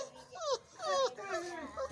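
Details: Five-week-old Boerboel puppies at breakfast time, giving several thin, sliding whimpers that drop in pitch, one after another over two seconds, in a quiet indoor space.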